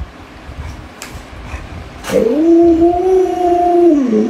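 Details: Luoluo, a pet Alaskan Malamute spoiled by grandma, breaks into a sudden howl after a quiet stretch with faint taps. The note jumps up, then holds steady and even for about two seconds before dipping at the end.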